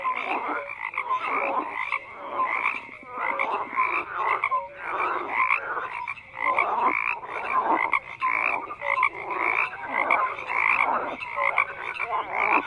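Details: Many frogs calling at once, their harsh croaks rising and falling in rapid pulses that swell and fade over a dozen seconds, a continuous overlapping chorus.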